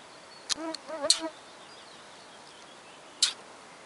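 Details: Young ermines, or stoats, playing in an old barn, running, hiding and having fun: a brief wavering, harmonic-rich squeal of under a second, with sharp clicks and knocks before and after it against quiet background hiss.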